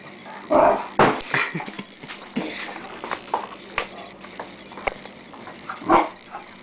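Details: During a Boxing Day romp with a person, a Rhodesian Ridgeback puppy lets out short, sharp yips and whimpering bursts, loudest near the beginning and just before the end. Scuffling and knocking sounds fill the gaps.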